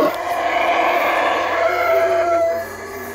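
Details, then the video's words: Wild howler monkeys calling from treetops in Belize: a loud, sustained, rough roar with layered harmonic tones, held for over two seconds and then fading into quieter forest ambience. "The Call of The Howler Monkey: Belize Treetops"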